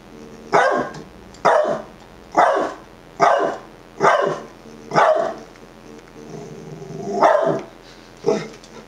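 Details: Roscoe, a Dachshund, barking at himself, recorded with an Olympus EP2 and Panasonic 20mm lens; sharp single barks repeated about once a second, seven in a row, with a quieter whine-like sound between.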